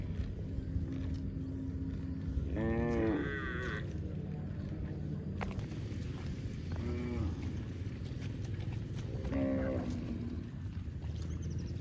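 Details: Cattle lowing in repeated harmonic moos, one around three seconds, shorter ones near seven and nine and a half seconds, over constant low-frequency background hum.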